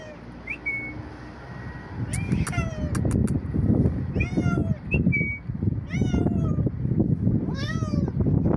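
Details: A cat making an odd sound: short, high, harmonic chirps sweep downward, repeated roughly once a second from two seconds in. A couple of brief whistled notes sit near the start and middle, over a low rumbling background.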